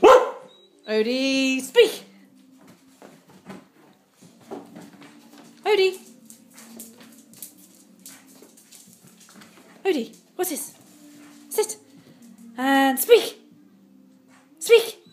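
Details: Pet dog named Ode barking on command indoors in a small room during training to speak; short sharp barks burst out at irregular intervals, interleaved with a woman's repeated commands and praise.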